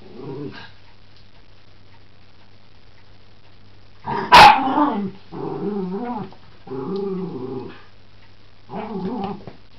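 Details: Miniature Schnauzer fighting a Maine Coon cat with a toy frog; a sharp knock, then a series of wavering, undulating growls in bursts about a second long, pausing between, the last one short and rough.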